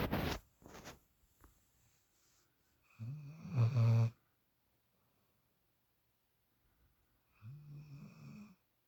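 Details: Female puppy asleep in Shadow's usual spot, snoring: a brief loud rustle at the start, then two deep, buzzy snores around four seconds apart, separated by quiet breathing.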